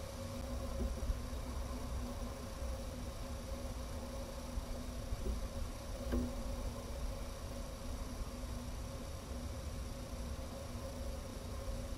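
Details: Steady electrical hum and low rumbling noise with one brief click, and no animal calls.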